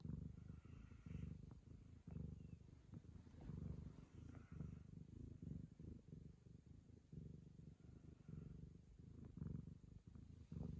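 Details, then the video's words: Purring Ragamuffin cat licking the owner's daughter as a show of affection, a continuous deep rumbling purr pulsing in breath-length bursts, overlaid by small licking clicks and a thin high hum. "友愛の証として娘を舐め回す猫 ラガマフィン"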